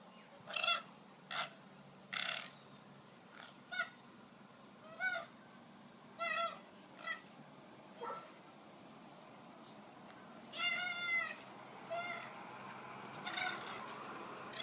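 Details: Two young male koalas fight ferociously on the ground at a wildlife sanctuary after a branch broke, screeching and squalling in harsh, wavering bursts about once a second with longer drawn-out screams, over faint steady hiss.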